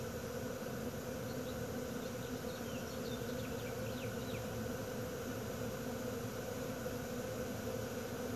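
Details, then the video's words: A honey bee swarm in Wisconsin, June 2016, produces a continuous, thick, humming drone that holds a constant pitch, with brief faint bird chirps flickering above it early on. "Bee swarm"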